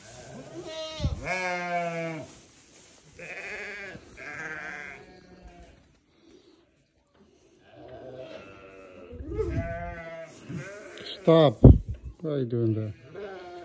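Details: Newborn lambs bleating repeatedly: a string of quavering bleats with a silent gap midway, then several overlapping cries and sharp knocks near the end.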